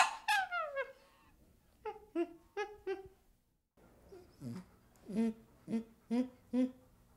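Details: Baby chimpanzee opening with a sliding, descending whimper, followed by soft, short, evenly spaced hoo notes, a brief pause, then a further row of low, rounded calls.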